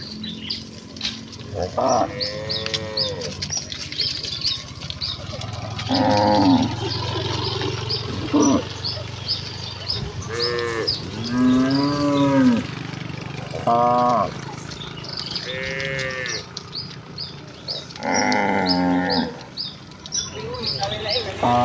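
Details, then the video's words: Village cattle herd running joyfully toward their pen, giving repeated harmonic moos, some low and drawn out, others higher and shorter, spaced every few seconds across the stretch, with chirping birds and a steady low engine-like hum behind. "Kawanan sapi lembu yang berlarian menuju kandang dengan kegiranganan dengan suara moo khas sapi desa"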